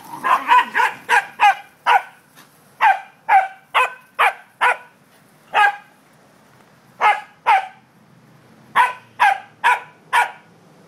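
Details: Playful corgis, three in the group, bark outdoors on an October day: a long run of about twenty loud, sharp barks in irregular clusters, fast at first, then spaced into pairs and triplets with brief silences between.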